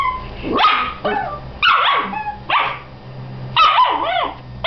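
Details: Two Dachshund sisters squabble over who gets to be inside a tee pee, with sharp, high yipping barks and snarly growls in quick bursts.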